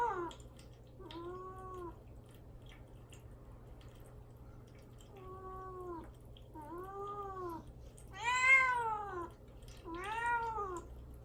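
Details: {'caption': 'Mamedaifuku, a caged pet cat fasting before neutering and wanting out, gives a series of clear arched meows indoors, about five calls spaced a second or two apart, the last two louder and higher.'}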